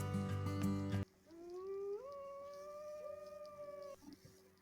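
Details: Gray wolf, one of the animals of the Oleshky forest, played for children to guess the animal by its voice. After a second of music, one long tonal howl slides upward, then holds level for about two seconds before fading.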